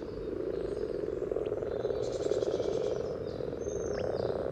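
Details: Common frogs calling at a spawning pond by the yellow trail in Sunnersta, Uppsala, recorded with a parabolic reflector just above the water: a dense, continuous low purring croak chorus, with a faint high hiss midway.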